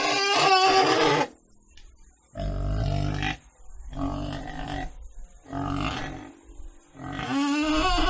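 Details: Pig producing deep, rasping grunts alternating with higher squealing bursts, each call about one second long with short silent gaps between.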